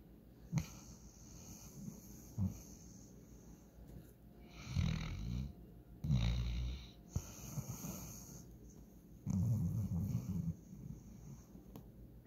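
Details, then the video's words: Walker, a German Shorthaired Pointer passed out and dreaming, snores in deep, gravelly drawn-out breaths, several long rumbles with quieter pauses between them, plus faint clicks and a higher hiss. "German Shorthair Pointer snoring"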